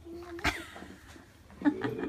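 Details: Akita named Paty, fawning affectionately on a favourite vet indoors. Soft steady whine near the start, then a sharp click or bump, then brief higher whimpering tones that rise and fall toward the end over low room noise.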